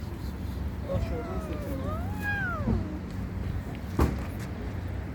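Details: Kittens meowing: several overlapping drawn-out mews that rise and fall, between one and three seconds in, over steady low traffic rumble, with a sharp knock near the end.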